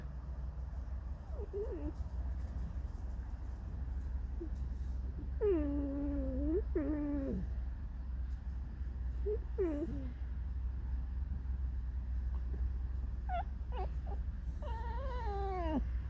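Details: Domestic fox in an irritable mood making a string of squeaky, plaintive whines: short rising-falling yelps, a long wavering cry, then a cluster of high squeaks near the end, low room hum throughout.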